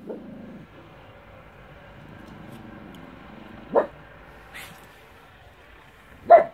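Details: Westie facing off against a mantis gives isolated sharp barks, two clear ones about two and a half seconds apart, with a fainter yip between and quiet low background sound.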